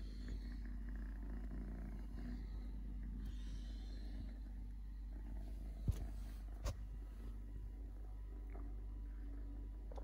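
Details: Low continuous purring from Totoshka, a stray kitten living with three legs, a soft rhythmic rumble broken by two sharp clicks or taps near the middle.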